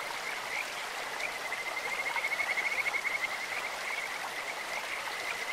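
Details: Stream-dwelling Kajika frog with a melodious, bird- or insect-like voice: a quick series of pulsed notes swelling from about one and a half to three seconds, set against continuous flowing water.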